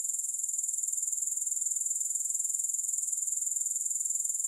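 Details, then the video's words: Grasshoppers in a long continuous recording without music: a shrill, very high insect trill held at an even pitch, pulsing rapidly and steadily throughout, with no other sounds present. "Grass Hopper Sounds"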